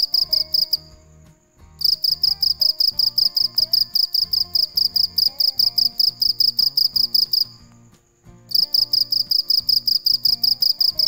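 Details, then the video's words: Night-time cricket song of steady, piercing chirps, each a quick buzzy pulse about three per second, broken by two short pauses, over quiet background music with a soft beat. "Tiếng con dế mèn kêu về đêm cực hay, sounds and pictures of crickets"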